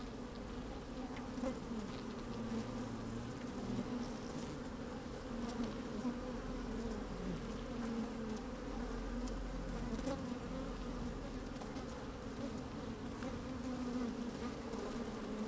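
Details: Honey bees working inside an opened hive on a fine, sunny day, microphone slid down among them: a steady, dense hum with a low drone and brighter bands around the middle, swelling slightly as bees move about, with faint wind.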